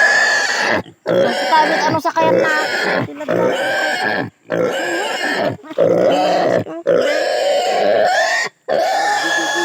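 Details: Native pig being castrated, giving sustained loud nasal squeals in long bursts separated by brief gasping pauses, steady and harsh throughout.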